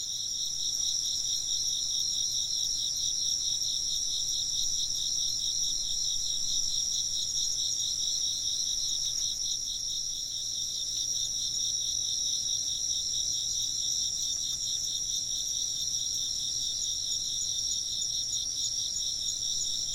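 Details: A long run of chirping insects: a continuous high, rapidly pulsing trill with a second even higher band, steady in volume from start to finish.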